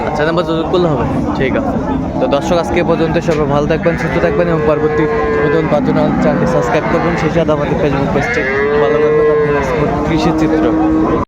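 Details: At Amborhat market in Dinajpur, Bangladesh, on 17 January 2025, cows with calves low repeatedly. Sustained, steady moos stand out around the middle and again near the end over constant crowd talk and bargaining voices.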